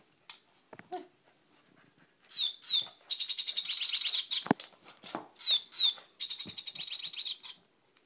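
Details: Schnauzer, indoors, upset that another dog, a cocker spaniel, got a better toy; high-pitched squeaky whines and yelps in quick bursts, some repeated rapidly over several seconds, with a woman talking to the dogs.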